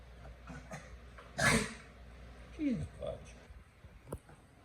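A beagle gives a harsh, sneezy cough, then a short howl that slides steeply downward.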